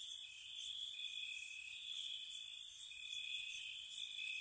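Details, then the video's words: Crickets on a spring night near a cottage, an unbroken high trill layered with a second pulsing caller and a few loud sharp chirps. "Spring Cottage Night Ambience, Nature Sounds for Relaxation & Sleep, Cricket Sounds"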